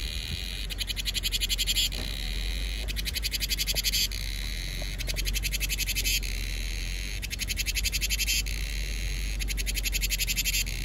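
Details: Summer-heralding cicada song in Vietnam: steady high-pitched buzzing interrupted by pulsed, throbbing bursts that recur every couple of seconds through the whole stretch, with faint low rumble beneath.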